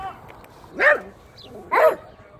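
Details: Pet dog giving two sharp barks about a second apart, each a short harsh burst, over faint background noise.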